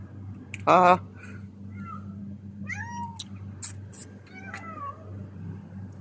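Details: Three pet cats in Qatar beg for food after their owner comes back from work. A loud voice burst is followed by several short, bending meows spaced about a second apart, with clicks and a low background hum.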